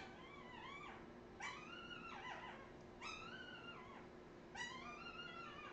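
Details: Australian Terrier puppies, recorded in 2018: four high, tonal whining cries, each jumping up sharply and then sliding downward, spaced roughly a second and a half apart over a steady low indoor hum.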